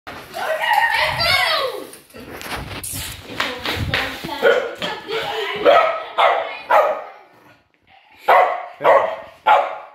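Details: Estacado, a 10.5-month-old Patterdale/Fell/smooth Lakeland terrier battlecross bred from Booth x Cloot - Elbers lines, barking. A person talks over the opening seconds, then sharp single barks follow at roughly half-second spacing, with short gaps between volleys.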